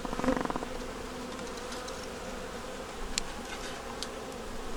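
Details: Honey bees in a nuc during a winter inspection, with a yellow queen and brood in the top; a close, pulsing buzz opens, then settles into an even, low hive drone with scattered faint ticks.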